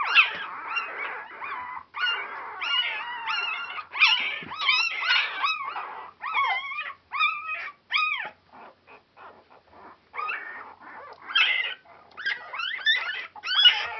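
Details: Four-day-old Border Collie pups, a noisy litter on Super Sunday 2012, keep up a chorus of thin rising-and-falling squeaks and whimpers, dense at first, thinning to scattered cries midway, then building again.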